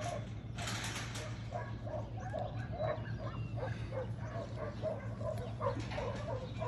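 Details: A dog named Bear, at work loading sheep, gives a run of short, mid-pitched whining yelps in quick succession over a steady low hum.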